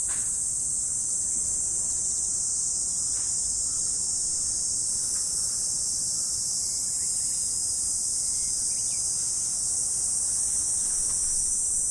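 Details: Autumn morning insects in a dense, unbroken chorus: a steady high shimmering hiss that holds without pause for the whole stretch, with no other clear sounds.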